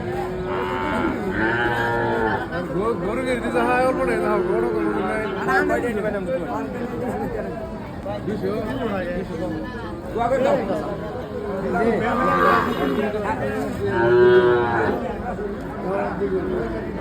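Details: Cattle at a busy wholesale and retail cattle market during a slow trading day, low drawn-out moos rising and falling among constant chatter of buyers and sellers talking.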